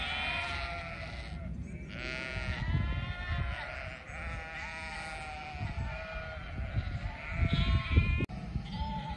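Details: Sheep in a flock bleat repeatedly, long quavering calls rising and falling in pitch, one voice following another, with low rumbling noise and a sharp click near the end.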